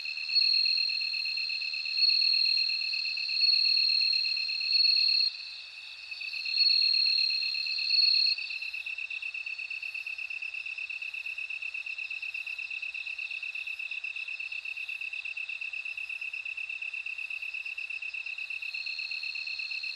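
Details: Bell cricket song: loud high ringing bursts lasting a second or two, separated by brief dips, then a long steady run of rapid, evenly pulsed chiming notes over a continuous high trill.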